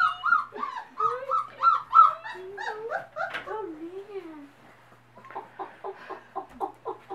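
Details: Mother dogs meeting their puppies: high, drawn-out whines first hold a steady pitch, then waver up and down in excited bends, followed by short choppy vocal bursts and a steady low indoor hum.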